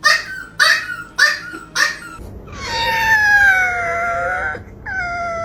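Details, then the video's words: Pet dog making strange noises indoors; four short yelping barks about half a second apart, then a drawn-out wavering howl that dips and rises, followed by a shorter howl. "The dog made strange noises"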